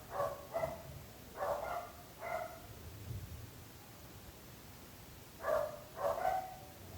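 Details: Barking dogs, framed as a neighbourhood nuisance: barks in irregular bursts, two quick ones, then three more, a pause of a few seconds, and a final pair.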